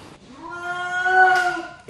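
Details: A newborn seal pup, rescued on the Dutch coast after losing its mother on the sandbanks, gives a long, wailing, cat-like cry, crying out for its mother.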